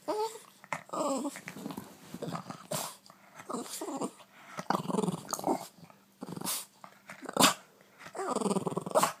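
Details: Playful Boston Terrier in a morning game of catch inside a small room, giving throaty, gravelly growls in short repeated bursts with brief whimpers. A woman's voice and sharp clicks break in now and then.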